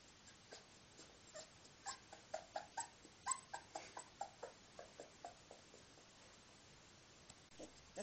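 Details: 24-day-old Miniature Bull Terrier puppies give a run of short, high whimpering squeaks; Miniature Bull Terrier.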